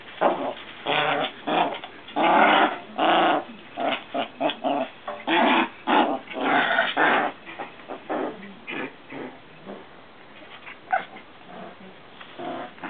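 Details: Playful growling from Maltese sisters romping together with a frog. There is a dense string of gravelly growl bursts for about eight seconds, then only sparse, softer grumbles near the end.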